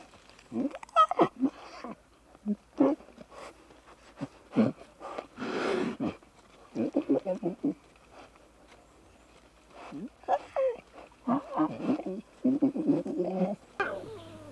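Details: Lion cubs frolicking and bonding in the wild give many short, rough grunts and growls in irregular bursts, with brief pauses, over fourteen seconds.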